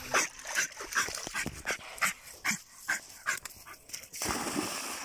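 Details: German Jagdterrier panting in +45°C heat while being cooled: rapid, rhythmic breathy bursts about every 0.4 seconds, followed by a sudden steady rush of water-like splashing noise.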